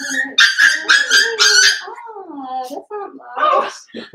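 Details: Loud, insistent whimpering from a pen of five seven-week-old blenheim Cavalier King Charles Spaniel puppies, with rapid repeated yelps at first, then longer bending whines and a few broken squeals.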